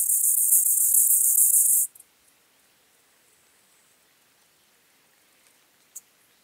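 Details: A white-clubbed grasshopper in Elsbethen, Austria, on 18 September 2020 ends its song: loud, high, dense hissing stridulation cuts off sharply, followed by near silence and a couple of faint ticks.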